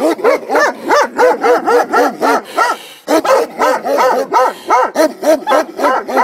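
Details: Komondors guarding a boathouse next to the cave bath at Miskolctapolca, Hungary, barking continuously in fast, steady volleys of about three barks per second, with one brief break midway.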